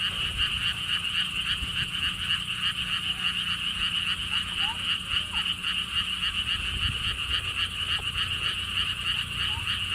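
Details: Siheung lotus pond frogs in Korea, along a stone wall path. A continuous, pulsing, rattling croak chorus of many frogs carries on throughout, joined by faint brief chirps and a gentle low wind rumble.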